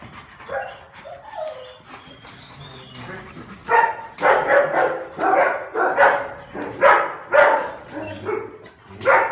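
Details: A male Rottweiler barks in short, gruff bursts that come faster after a quieter start; recorded December 16.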